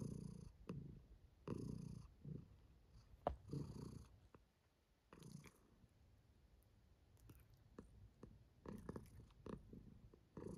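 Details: Domestic cat named Kiwi, female, purring contentedly while enjoying herself; low rumbling purr in uneven bursts with pauses, including a quiet gap near the middle, and a few soft clicks.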